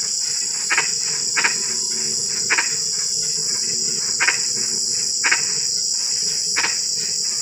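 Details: Frog calling at night during drizzling rain: short, harsh croaks repeated at uneven gaps of about one second, set against a constant high-pitched chorus of crickets.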